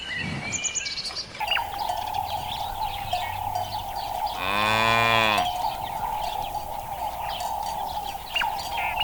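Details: Cows foraging together in a green countryside meadow; one full, rich moo of about one second, slightly bending downward at the end, against a constant high steady drone and scattered bird chirps.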